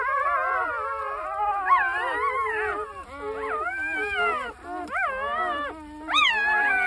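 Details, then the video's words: Young puppy in the countryside howling: a long series of wavering, rising and falling tonal howls with rich harmonics, some notes swooping up sharply then dropping, nearly continuous across the clip. "시골 새끼 강아지"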